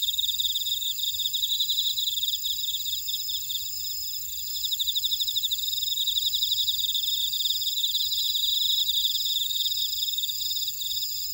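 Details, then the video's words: Grass insects in a Jeju buckwheat field at Ora-dong, South Korea, calling together: continuous shrill pulsed chirps in quick trains, swelling louder after the midpoint, layered with a thin steady high hiss. "제주 메밀밭의 풀벌레 소리 (Sound of a buckwheat field)"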